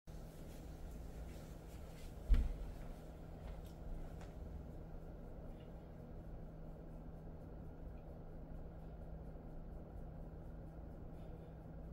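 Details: A steady low indoor hum with a single sharp knock just after two seconds and a few faint soft taps, with no animal voice.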